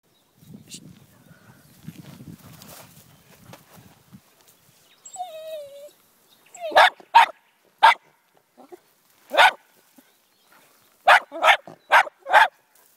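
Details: Jack Russell Terrier barking while confronting a snake: after low rustling and a brief thin whine, sharp, short barks ring out singly and in pairs, ending in a fast run of four barks.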